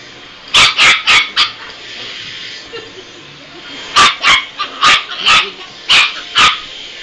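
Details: Chihuahua puppy reacting to a hand vacuum with bursts of shrill, high yappy barks, four quick barks, a pause with a soft whine, then a longer run of yaps.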